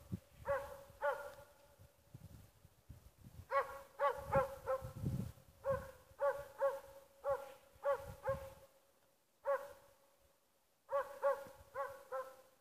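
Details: Schampoo, the dog Ackers Åndorra, entertaining herself with bursts of high harmonic yelps, two to four quick barks per burst, separated by brief silences. Faint low knocking is heard underneath.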